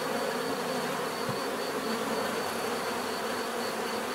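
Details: Bees buzzing in a dense, steady drone, a continuous hum layered with many overlapping wingbeats; a faint high whine holds steady above, and one brief low thump stands out near the middle.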